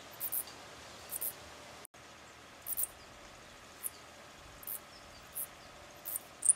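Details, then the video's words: Mauritian tomb bat pair mating while clinging to a tree trunk in daylight; short, very high, sharp squeak bursts repeated roughly every half to one second over a steady faint background hiss. "Mauritian Tomb Bats mating and squeaking on a tree trunk"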